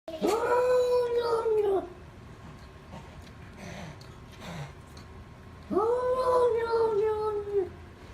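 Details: Domestic cat giving two long, drawn-out yowling calls, each about one and a half seconds, steady in pitch with a slight fall at the end, separated by a quiet gap with faint background noise.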